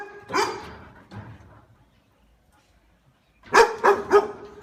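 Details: Dog barking on seeing a stranger: a loud bark near the start, a softer one after, a pause, then a quick run of three sharp barks near the end; the dog is said to run and bark.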